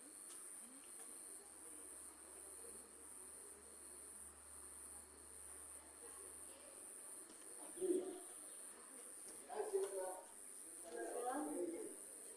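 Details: Crickets keep up a steady, high, shimmering trill through a night of lightning, heard from a house porch.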